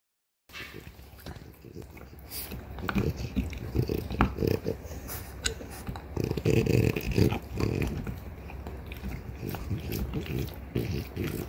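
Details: Two female French Bulldogs, a mother aged three years and her daughter aged one and a half, gnawing on deer antler indoors: irregular crunching, grinding scrapes and dull knocks, rising and falling in bursts, with faint voices.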